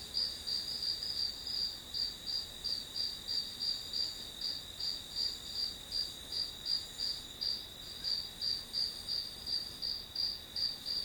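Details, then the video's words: A continuous series of bright, high insect chirps from grass insects, evenly spaced at about three per second, with only faint background hiss. "풀벌레 소리"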